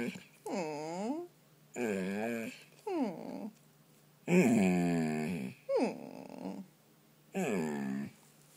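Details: Bolo, a pet dog, howls after getting himself out from under a comforter indoors: six separate drawn-out, richly harmonic cries, each bending down and up in pitch like yodeling moans, separated by short quiet pauses.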